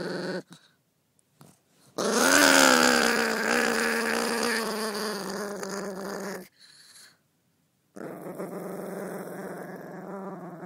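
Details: A pet dog with fluid on the brain, cranky at night, vocalises her mood while being gently patted: a long, droning, growly moan with a wavering whine held about four seconds, a short pause, then another sustained grumbling moan.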